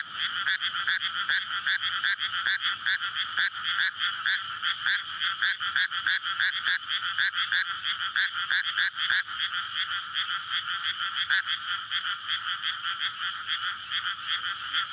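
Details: Many frogs calling together on a May night in a flooded rice field awaiting planting, courtship for egg laying; a continuous rattling croak chorus with rapid regular pulses, thinning slightly after nine seconds, captured with a linear PCM recorder.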